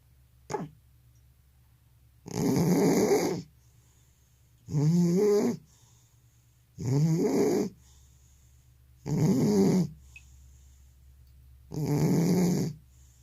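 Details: Old cat with sleep apnea snoring loudly: a short catch of breath, then five heavy, rough snores, each about a second long, repeating every two to two and a half seconds.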